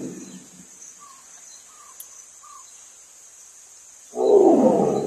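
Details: A tiger in Bandhavgarh gives a short, deep, rasping roar that bursts in loudly at the end.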